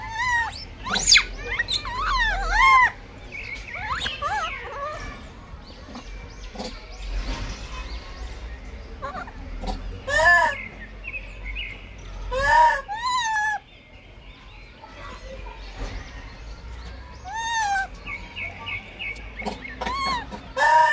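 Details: Blind baby monkey in a fight for food, squealing in scattered bursts of arched, quavering cries, with longer quieter stretches between them and a faint steady tone and low rumble underneath.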